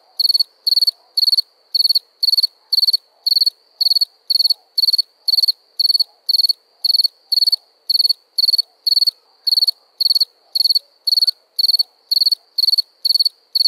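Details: Cricket chirping at night: sharp, high, pulsed chirps repeated steadily about twice per second throughout, with faint lower insect buzz in the background.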